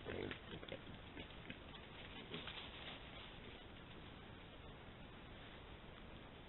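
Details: Wild boar in Italy grunt and squeal harshly as they fight, the noisy calls loudest at the start.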